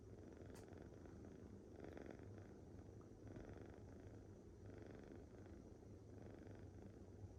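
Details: Rescued female tabby kitten snoring after tiring herself out with play. Soft, rhythmic breathing bursts recur about every second and a half over a low, steady hum.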